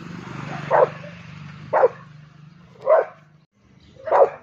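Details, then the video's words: Angry Rottweiler reacting to a cow, four rough barks about a second apart, with a low engine-like hum underneath the first half. "Angry Rottweiler"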